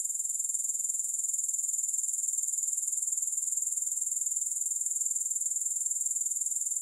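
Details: Unbroken, very high, rhythmic grasshopper chirring at roughly four pulses a second, uniform throughout, with no music or other sounds.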